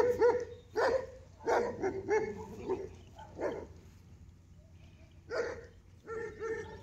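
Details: Dog facing an ox gives scattered barks and yelps, some rough and some tonal, spaced irregularly with quiet stretches, recorded fairly softly.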